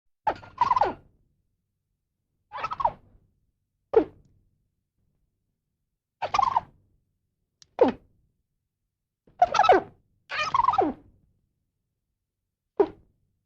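Brief bursts of squirrel chatter come every second or two. They mix harsh, raspy notes with falling squeaks, each burst separated by a short silence, and no other sounds intrude.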